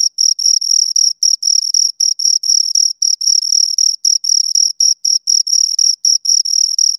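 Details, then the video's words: Pair of crickets producing high, rhythmic chirps, bursts of pulsed trilling separated by brief silent gaps about every quarter second, steady in loudness throughout, nothing else audible. "Two Crickets Chirp Sounds"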